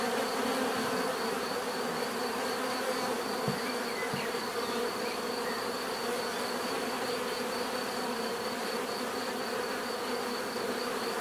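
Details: Steady buzzing of a crowd of bees, a low continuous hum lasting without break, with two short soft knocks early on and a faint persistent high whine.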